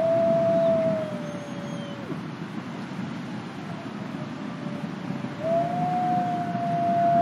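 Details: Gray wolf howling, a captive-born ambassador wolf named Nikai at the Wolf Conservation Center in South Salem, New York; long steady tones that dip and drop away, then a rising tone returns and holds, over a steady low rumbling background.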